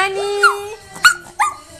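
A Yorkshire Terrier 'sings' in short, rising yelps and whining notes over a steady held tone.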